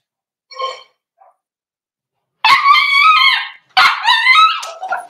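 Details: Whimpering from four-week-old Cavalier King Charles Spaniel puppies in their home pen. A faint short whine comes first, then two long, strained, wavering cries, each lasting over a second.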